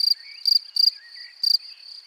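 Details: Field cricket near its burrow: four loud, high, pulsed chirps in two seconds, each a brief buzzy burst, over a softer continuous ringing trill and faint bird twitters.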